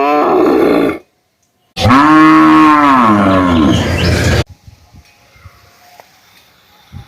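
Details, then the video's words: Cow giving a long, loud, harmonic moo that rises and then falls in pitch over about two and a half seconds, after a shorter call at the start; quiet background follows. "Cow Sound effect"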